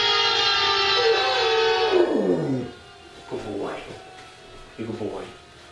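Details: A Rottweiler howls at a siren played on a device, in long, wavering tones that slide downward, then shorter rising-and-falling howls.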